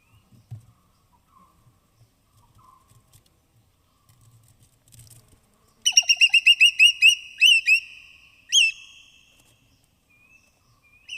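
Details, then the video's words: Native forest squirrel foraging on rain-soaked branches in dense evergreen forest of Tamhini Reserve, Western Ghats, binaural recording: quiet rustling, then a sudden burst of about eight rapid, sharp, high chips, followed by two rising squeaky notes. "High-Pitched Sounds of Squirrels"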